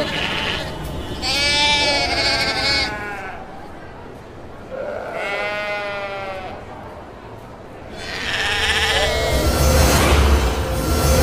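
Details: Bleating of Kacang goats: three separate groups of quavering, harmonic bleats, each lasting one to two seconds, with low rumbling and scuffling noise in between and at the end.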